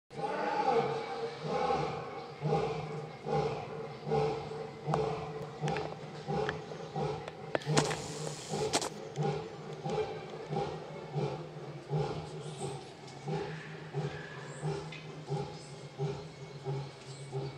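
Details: Lion Mojiro roaring at Ikeda Zoo on 18 February 2019, heard by the male Japanese black bear Gonzaburo: a long series of deep, grunting pulses about one per second that gradually weaken, with a brief rustling burst midway.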